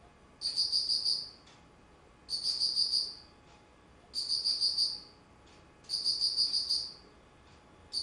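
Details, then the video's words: Insect singing in autumn, recorded 19 September 2009: shrill, high, pulsed chirp bursts lasting about a second, four of them, spaced nearly two seconds apart, with faint hiss behind. "秋 虫の鳴き声"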